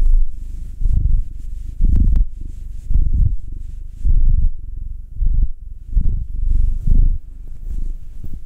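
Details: Cat purring under a massage, from a household pair of a black male aged nine and a tortoiseshell Munchkin female aged two; heavy, very close low rumbling in uneven bursts, with a faint click near two seconds.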